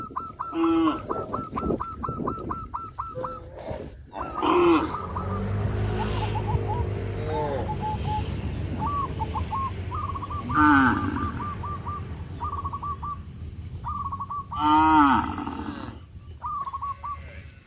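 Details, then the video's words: Farm cattle in a village, taken to harvested rice fields, let out three spaced, rough moos rising and falling in pitch, set against bursts of quick, high, repeated piping notes and a low background rumble. "Leading the cows to the rice fields after the harvest season,sound of cows"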